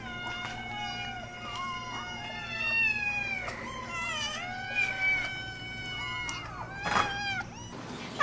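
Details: Angry domestic cat making continuous wavering, whining meows that rise and fall, with a few scuffing noises and a brief loud knock at the end.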